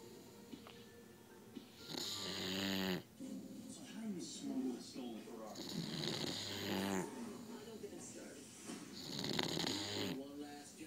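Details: A sleeping female English Bulldog snores in loud, rasping, rattling breaths every few seconds while voices talk nearby.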